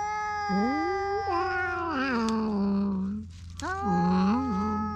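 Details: Cat-island strays squabbling over a single fish, GoPro HERO8 audio: overlapping, quavering caterwauls rising and dipping in pitch, a brief pause, then another rising, warbling yowl over a low steady hum.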